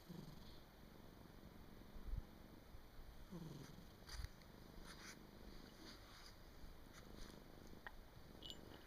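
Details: Domestic cat sleeping soundly indoors on 23 December 2017, late in the year; a quiet, low rumbling snore stays under steady faint room hiss, with a few soft clicks and rustles.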